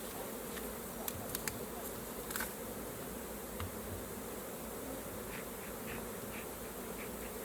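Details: Continuous humming of a mass of honey bees at a hive while raw honey is collected, with a few clicks and light metallic taps early on.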